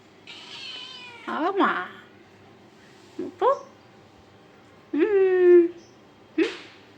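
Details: Pet cat meowing indoors, several short bent meows and a longer wavering one over about seven seconds, separated by brief pauses, with a person talking to it.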